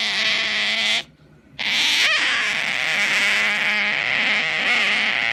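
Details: Otter making a funny noise while pampered: a continuous loud, shrill, buzzy squeal with a brief break near one second, then a sustained, slightly wavering high whine.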